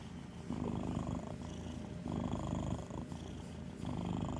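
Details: Sleeping, dreaming house cat snoring like an old man, deep rattling breaths in three or four drawn-out bursts with brief pauses between, low and throaty.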